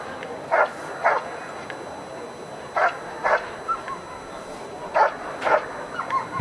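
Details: Dog barking in protection work at a 2015 dog sport trial: loud barks in pairs about half a second apart, the pairs recurring every two seconds or so, over a steady background hum.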